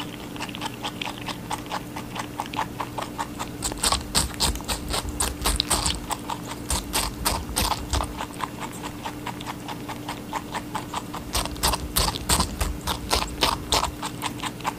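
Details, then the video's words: Rabbit chewing watermelon with fast rhythmic crunching, about three bites per second in long runs, moist clicks and brief pauses, a quiet mains-like hum underneath. "Rabbit eating a watermelon"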